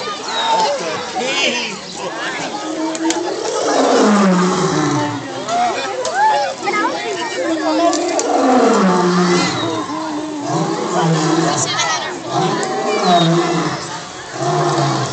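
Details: An agitated lion at Brookfield Zoo, Illinois, gives deep, moaning roars that slide downward in pitch, with visitors chattering in the background.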